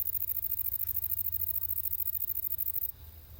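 A grasshopper stridulates in a fast, steady run of soft, dry scraping pulses.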